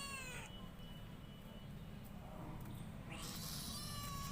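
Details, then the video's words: Cat sound: a brief meow at the start, then a low rumbling stretch, and a second higher cry near the end over steady background noise. "Funny cat sounds"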